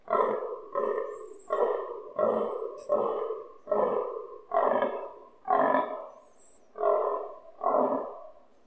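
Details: Fallow stag grunting nearby during the rut, recorded from a balcony, loud enough to make windows vibrate: nine deep, rough, belching grunts in steady rhythm, roughly one every second, each swelling then fading.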